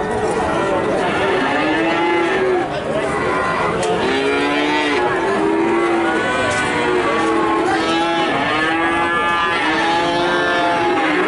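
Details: Young cattle calves from Nganjuk, Indonesia, call over one another: a dense stream of long, wavering moos that rise and fall, with rich overtones and a constant noisy background.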